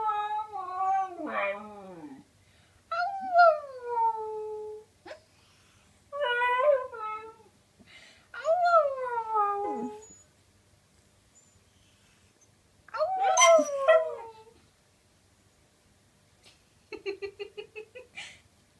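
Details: Lily, a pet dog, lets out repeated drooping, mournful wails separated by pauses, ending with a quick pulsed run of short yelps.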